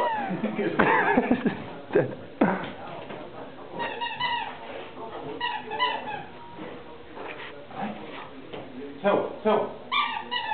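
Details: Short French Bulldog indoors, unable to reach the sofa, gives repeated high whining and yelping cries in short bursts, while a person talks and counts in Catalan about a ball.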